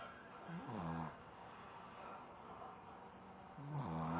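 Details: Sleeping Shih Tzu snoring: two low, nasal, droning snores, one near the start and one at the end, separated by quiet breathing, with faint background hiss.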